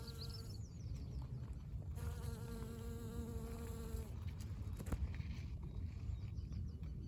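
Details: A pollen-covered honey bee flying over a blooming spring dandelion, its wings giving a steady, humming buzz that rises and fades as it passes.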